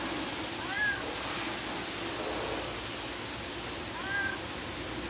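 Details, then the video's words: Hungry cat asking for food, giving two rising-falling meows about three seconds apart over a steady loud hiss. "Cat Meow Meow for food (CAT IS HUNGRY)"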